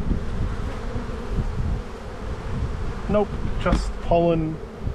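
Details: Spring buildup in the bee yard: a dense, low, continuous drone of honey bees while a hive is opened and inspected, with a brief murmur of a human voice toward the end.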